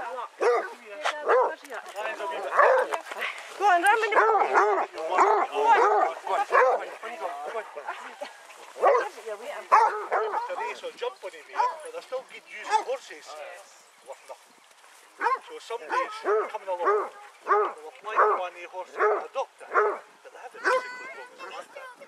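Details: Pack of eighteen Basset Hounds walking round Belwade Farm near Aboyne, Scotland, in August 2014; dense, overlapping barks and bays fill the first half, fade briefly, then resume in shorter bursts, with human voices throughout.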